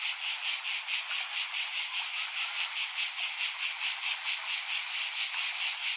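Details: A cicada's shrill, pulsing buzz, high and grating, rising and falling in even beats roughly two to three times a second without pause.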